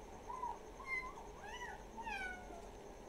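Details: Village pet cats meowing: several thin, rising-and-falling kitten meows in quick succession over a constant background hiss.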